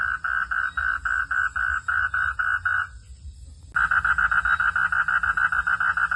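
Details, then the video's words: Frog calling at night: a series of short, mid-pitched pulsed notes repeated about three or four times a second. The notes stop for under a second, then resume in a slightly faster, louder run. "frog sound at the night"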